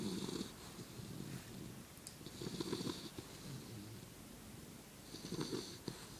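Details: An English Bulldog snoring while sleeping on its back with four legs in the air; uneven, gurgling rasps come in irregular groups with softer wheezing breaths between, no other sounds.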